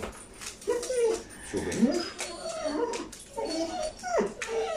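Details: Whippet Saluki dogs Bandit, Max and Tilly, about to go out, give high, thin whimpers that rise and bend in short whines, in three bursts over five seconds, with a person talking quietly between them.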